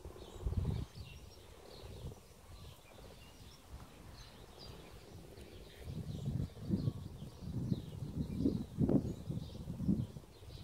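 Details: Mating frogs make deep, rumbling croaks: a single burst early, then a quiet stretch, then a run of closely spaced low pulses building toward the end, with faint outdoor ambience.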